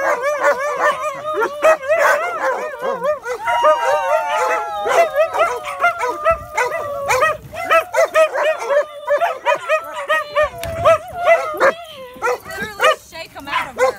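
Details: A shepherd and a husky howling together: long stretch of overlapping warbling howls with quick rising and falling pitch bends, broken by short yips and whimpery notes, loud throughout.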